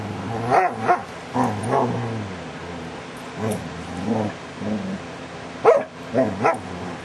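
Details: DaVinci the dog making funny sounds, July 2011: a series of drawn-out, warbling grumbles and moans, some bending up then down in pitch, with short sharp yips near the end and quiet pauses between.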